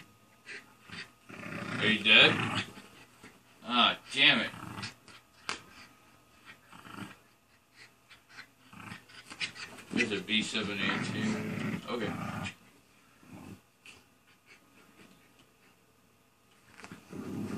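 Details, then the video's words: Ida, a pet dog, barks in Izzy's face to make her play. Loud, sharp, rising-and-falling barks come in quick clusters, with pauses and panting-like breaths between bursts. Indoors, with some talking nearby. "BARK! BARK! BARK! PLAY WITH ME!"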